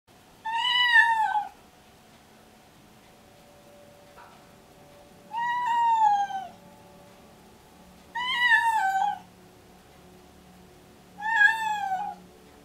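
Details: Pregnant domestic cat named Alice, deaf, in pre-labour and excited, meowing repeatedly indoors: four loud drawn-out meows roughly every three seconds, each rising then falling, with a faint steady hum underneath.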